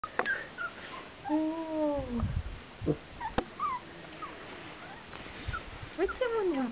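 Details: Cavalier King Charles Spaniel puppies on their first time outdoors; thin, high whining whimpers with drawn-out falling tones and short yips, scattered over several seconds, while a person softly calls nearby.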